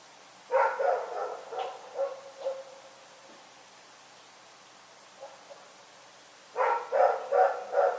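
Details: Rex, a dog, barking through the night: a rapid series of raspy barks that taper off, a long quiet gap with faint taps, then four strong evenly spaced barks.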